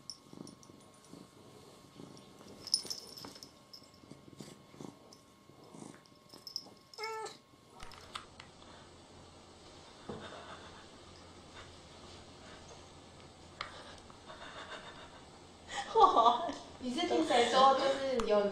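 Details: Jealous pet cat in a funny compilation gives a short harmonic meow mid-clip, then a louder, rough burst of cat noise near the end, over household noise, a steady low hum and scattered clicks.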